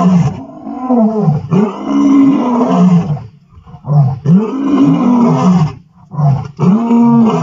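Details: Roaring from the Vuyela male lions on 1 November 2023: a series of heavy, moaning roars and grunts, each swelling and falling, separated by short breathy pauses, with deep booming low tones throughout.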